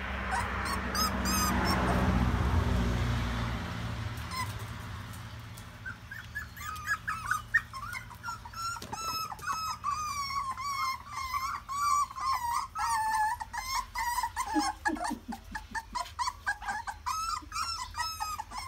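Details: Newborn puppies on their first day of walking, a chorus of high whining squeaks and yips, many overlapping thin rising-falling cries after a muffled rustling start, some lower grunts beneath.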